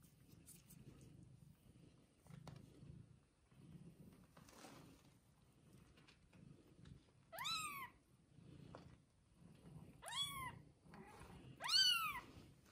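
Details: Mother cat and her one-day-old kittens: a quiet stretch with soft rustling and low hum, then three sharp, loud meows that rise and fall, spaced about two seconds apart near the end.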